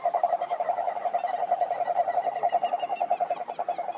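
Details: Toads croaking to attract females: a dense, fast run of short mid-pitched pulses, about three or four a second, steady and overlapping as several callers seem to join in, with no other sounds.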